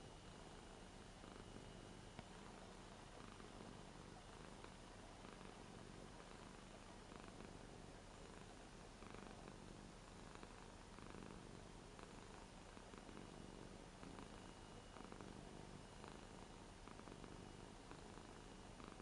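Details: Eight-year-old Ragdoll Rara purrs affectionately while petted on a new bed. The rumble is low and even, a constant throaty vibration with faint room noise throughout.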